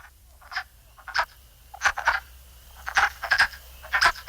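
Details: Male wood frogs serenade in a spring breeding chorus at a wetland in Robin Hood Park, Keene, New Hampshire: short, hoarse clucking calls that sound much like quacking ducks.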